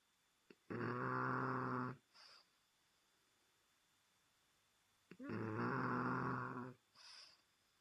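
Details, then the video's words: A French Bulldog snoring loudly indoors: two long, harsh, rasping snores about four seconds apart, each followed by a brief soft wheezing exhale, in a quiet room. "Snoring French Bulldog - Fransk bulldog som snorker"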